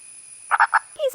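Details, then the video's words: An Indian purple (pig-nosed) frog gives its mating call from underground beneath a thin layer of soil: three quick, hollow, chicken-like "buk" clucks and a short falling tone over a faint steady hum. "They sing out from under a thin layer of soil, and their mating call sounds like a chicken."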